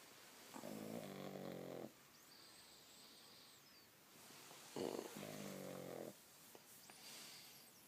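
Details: A 6-month-old pug asleep under a duvet in bed snores in two long rasping breaths with a quiet pause between them, plus faint soft rustling.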